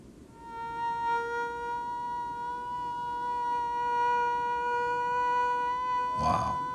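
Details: Tethered female mosquito recorded over a microphone in a neuroscience experiment, flying at a much lower pitch than the male: a steady, unbroken droning tone rich in even overtones, ending with a brief noisy burst.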